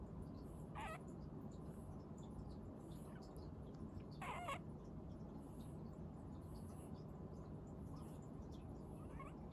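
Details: Pet rabbit named Sally making a mysterious 'pyu' cry: two brief squeaky, breathy bursts near one and four seconds, followed by fainter chirps, over a steady low indoor hum.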